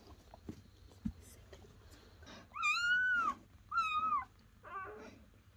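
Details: Squealing cries from a newborn German Shepherd puppy, one of ten born to Betty overnight under a dim camping light. A long, high arched whine, then a shorter one and a fainter trailing squeak, over quiet room shuffling.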